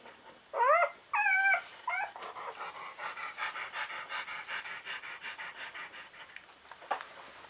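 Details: Czechoslovakian Wolfdog puppy just born, one of five females from Orizon and Rahan's November 2020 litter, gives three quick high squealing cries, then a run of soft rapid panting whimpers about once a second, with a sharp squeak near the end.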